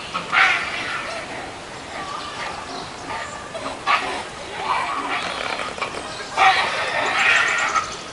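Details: Meerkat triplet pups, born 24 January at a zoo, on their first trip outdoors in cold weather as their parents warm them, give short, squeaky chirps in scattered bursts over a soft background murmur.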